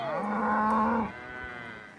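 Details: Cattle in thick brush being pushed up a trail during a pasture move by riders and dogs; one low, drawn-out moo lasting about a second, with rich harmonics, fading into quiet.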